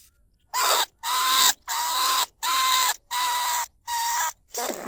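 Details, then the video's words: Lesser bandicoot rat calling from a cage trap in rice fields at Na Lao, Nong Khu Phai, recorded live in 2569 as a lure to draw rats from burrows: six harsh, buzzy, evenly spaced squawks with a steady tonal core, each about half a second long. "ต้นฉบับเสียงต่อหนูพุกใหม่ล่าสุด หนูอีตั้นชุดที่2 ร้องเรียกหนูในกรงเพล็กดักหนู"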